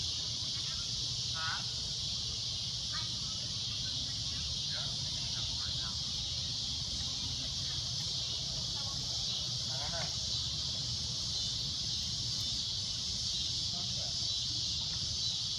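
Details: Cicada droning loudly and shrilly at golden sunset, a steady high buzz running throughout, while faint short chirps or voices come and go in the middle range.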